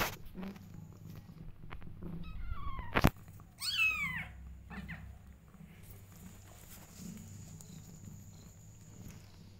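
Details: A mother cat guarding her kittens lets out a faint thin mew, then after a sharp click a louder meow that slides downward, with a constant low hum underneath.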